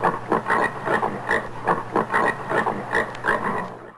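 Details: Rapid rhythmic grunting from a common warthog, about a dozen hoarse pulses in four seconds, each a short broad snort, over a steady low electrical-sounding hum.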